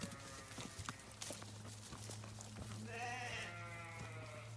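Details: Farm sheep out grazing: a low steady mechanical hum runs throughout, with scattered clicks, then a single wavering bleat of under a second sounds near the end.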